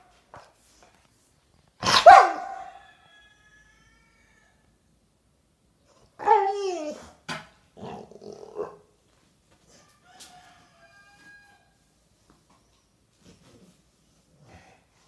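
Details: A Rottweiler, apparently vocalizing about getting a toy, gives one loud, harsh bark, then wavering, moaning grumbles that rise and fall in pitch. A shorter throaty mutter follows, and a person speaks quietly nearby.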